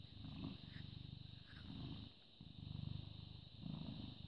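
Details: British Shorthair cat, born 18 August 2010, purring on 14 May 2017 at 09:16; deep rumbling purr in rhythmic surges, four breath cycles about a second apart, over a steady high background hiss.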